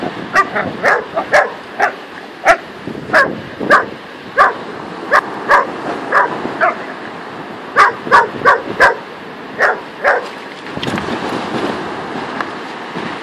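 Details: On a sandy beach, Saluki Luna and Whippet Louie play together; a near-continuous run of high, clipped barks and yips repeats several times a second in bursts, then fades into rushing wind noise near the end.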